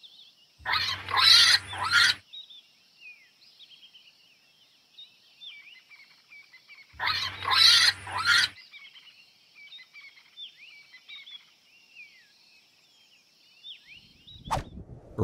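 A warthog gives two harsh, rasping grunts several seconds apart over soft background bird chirps.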